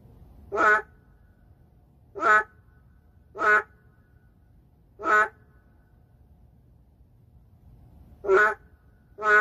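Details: Endangered narrow-mouthed frog calling in the city: short, loud, nasal, harmonic bursts, each under half a second, repeated at uneven intervals of about one to three seconds, six calls over a quiet low background hum.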